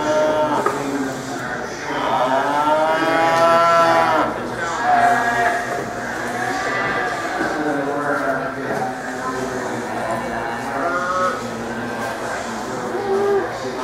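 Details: Chianina cattle at the Badger Kick-off 2012 livestock show, day two, where a Chianina steer was champion: a loud, drawn-out harmonic moo rising and falling over about two seconds, then shorter lowing later, over constant hall chatter and background noise.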